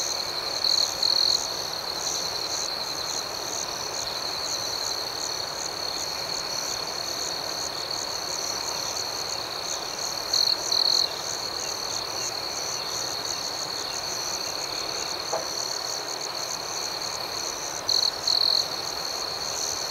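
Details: Nighttime cricket chorus, an unbroken high-pitched ringing trill layered with rapid pulsing chirps, punctuated by three short, louder buzzy bursts spaced several seconds apart. No other animals or people are heard.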